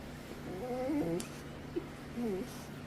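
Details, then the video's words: Pet dog vocalising while getting attention, described as unusual for him since he rarely makes noises or barks; soft, wavering whiny moans rising and falling, two short bursts with a quiet pause between, faint background hum. "making crazy noises!"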